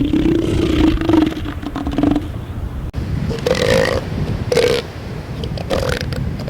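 A southern elephant seal gives deep, guttural roars, first drawn out, then in short throaty bursts.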